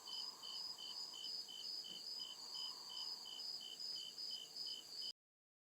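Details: Woodland crickets at night give rapid, regular high-pitched chirps, about two to three pulses a second, against a soft background hum, before the sound cuts off abruptly near the end.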